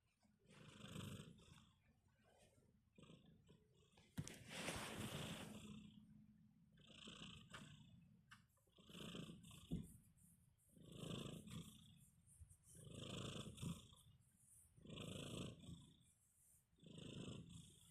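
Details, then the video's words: A sleeping kitten snoring softly in steady, breathy pulses about every two seconds, each a low rough rasp with faint hissy overtones; a brief louder rustling burst interrupts early on. "Sleepy Kitty, tiny snores"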